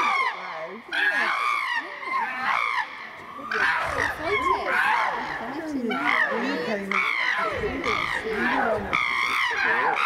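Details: Chimpanzees Tommy, William and Peter brawl in their Twycross Zoo enclosure at Chimpanzee Eden; piercing wavering screams come in repeated bursts, mixed with lower voices of onlookers talking throughout.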